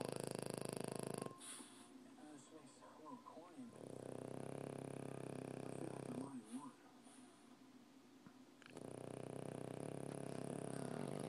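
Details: Male French Bulldog kept as a pet, snoring while asleep: long, rough, rasping snore stretches repeat in three bouts, separated by quieter passages where a person talks softly nearby.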